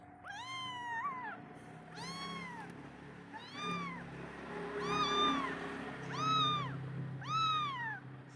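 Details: Kitten left alone by its mother, calling her for milk: six high, arched, harmonic meows, about one every 1.2 seconds, some with a rising then falling pitch, over a steady low hum.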